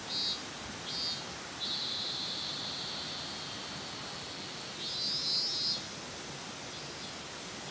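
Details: A min-min cicada sings a high, buzzing drone broken into short pulsing phrases, recorded in Minamimaki, Nagano, Japan, on 27 August 2019 at 14:19.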